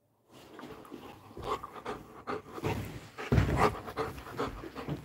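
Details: Coco, a Labrador Retriever, panting in quick rhythmic breathy bursts for about five seconds, growing louder toward the end, with soft background noise.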